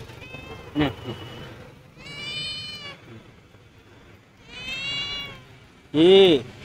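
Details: Hungry stray cat, said to have lost its family, lets out a strong rising-then-falling meow at the close, with a fainter one early on; Bengali speech and background music fill the gaps.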